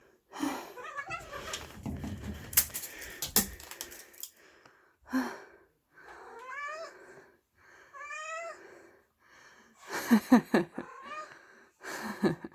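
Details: Energetic pet cat during hunting play, recorded 4 January 2022: short harmonic meows, then a run of quick rising chirps around the middle, with rustling, thumps and scuffling from the play.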